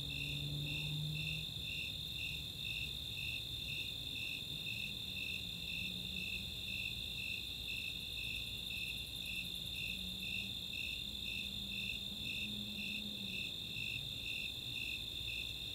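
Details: Snowy and Four-spotted Tree Crickets calling together on a summer night in Chautauqua's open space, Boulder, Colorado; a regular pulse of high chirps about twice per second over a steady continuous trill, with a soft low hum in places.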